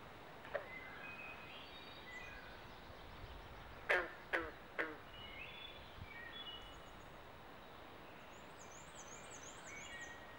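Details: In mating season at a pond in the New Jersey Pinelands near Southampton, carpenter and green frogs give a short burst of three abrupt, hollow plunks midway, with a faint earlier knock and scattered high bird whistles and trills over background hiss.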